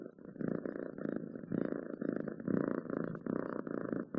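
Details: Pet cat purr heard very close: a rough, buzzing rumble that swells on each breath in and out, giving a slow pulse about every half second.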